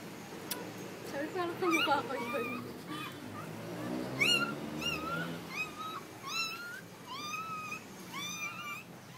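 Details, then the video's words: Siberian Husky named Heather in labor, giving birth: a run of short, thin squealing whines that bend up and down in pitch, repeated roughly every half second in bursts, over murmured talk and faint music. "Heather husky labor day"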